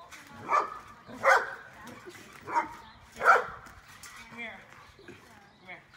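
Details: Energetic pet dog jumping on a trampoline in the afternoon alongside its 14-year-old human buddy; four sharp, bursting barks land within the first three and a half seconds, roughly a second apart, followed by softer human voices and faint rustling.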